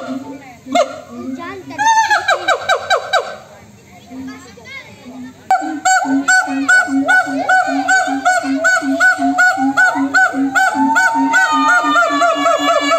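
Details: Monkeys calling back and forth; people briefly talk at first, then loud overlapping whoops burst out, fade, and return as a steady chorus of rapid low hoots and rising notes about two or three per second.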